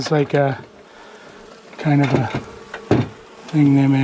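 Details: Angry honey bees from a long-established colony in a house wall, filmed after dark on day one of a March 6 cutout rescue: loud low buzzes swell and fade in three bursts as bees pass close, over a quieter steady hum.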